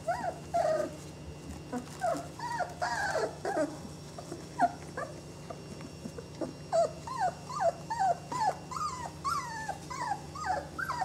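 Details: Twenty-day-old Saluki puppies from one litter whine in rising-then-falling squeals, a fast irregular run of repeated cries that builds toward a steady series in the second half, over a faint background hum.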